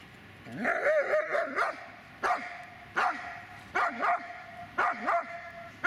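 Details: Magmar Von Der Burgstätte, a Dobermann, barking loudly in a quick series of about eight clipped barks. A few carry a drawn-out, whining tone that slides down and back up.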